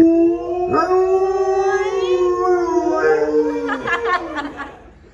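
An Alaskan Malamute gives a long, wolf-like howl that holds steady, rises slightly, then breaks and fades.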